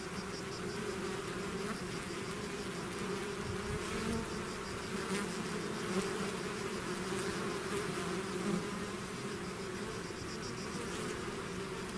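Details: A bee swarm pouring out of its hive, a dense continuous hum with steady bands low and mid, many overlapping wingbeats rising and fading, with a faint pulsing high tone above.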